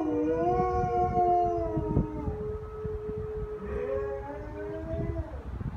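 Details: Several captive wolves at El Paso Zoo howl together, long steady tones overlapping and gently bending in pitch as they call to one another.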